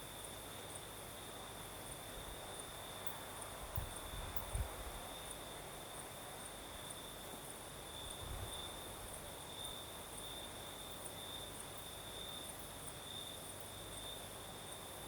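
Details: Crickets calling through the night in southern Crimea, their sustained shrill trill steady across the recording, backed by breeze rustle and a couple of brief low knocks.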